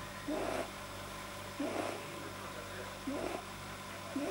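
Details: Pamuk the rabbit, deeply relaxed, produces odd nasal squeak-snorts linked to a probably too-long soft palate; four loud rising bursts spaced about 1.4 seconds apart, low electrical hum underneath, recorded 9 January 2010.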